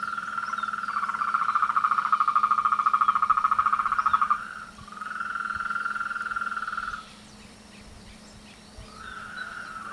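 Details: Frogs singing together in courtship season, a loud buzzing pulsed trill for about four seconds, then a softer stretch, a quieter pause, and the trill resuming at the end.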